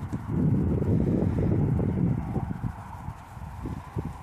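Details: Dutch Warmblood horse moving, its hooves landing as dull low thuds in a fast, uneven run of roughly three to four beats per second, with steady wind noise underneath.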